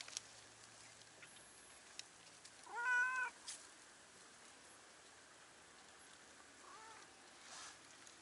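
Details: Stray cat perched on a cliff on a Japanese cat island, exchanging calls with a cat below; one clear rising-falling meow near three seconds, a faint answering mew later, quiet outdoor background.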